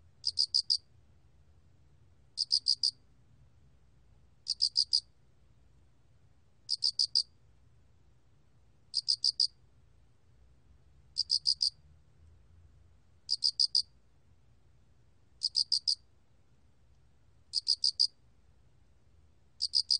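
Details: Loxoblemmus arietulus cricket, recorded for the National Institute of Biological Resources in 2020, singing steady groups of four sharp, high chirps, repeating roughly every two seconds over a soft low background hum.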